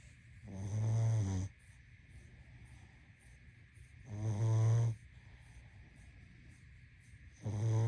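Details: Sleeping pug snoring: three low, rumbling, rattling snores, each about a second long and spaced roughly three seconds apart, over a faint steady background hum.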